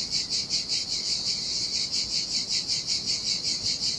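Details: Sardinian cicadas sing in the heat beside turquoise sea waters. Their shrill, hissing drone swells and fades in an even rhythm of roughly 158 beats a minute. Any sound of surf stays very faint.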